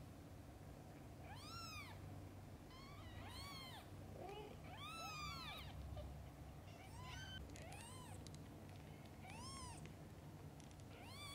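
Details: Mother cat with her kittens: a busy run of overlapping high arched meows, several callers crowding together in quick succession, some short and clipped, others longer and bending, over a low continuous hum.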